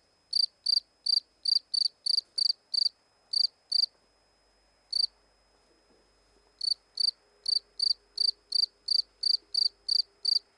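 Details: A shy cricket has just crept fully out of its hiding place beside a stone near the camera. It gives loud, high, pulsed chirps in a steady series, pausing briefly midway.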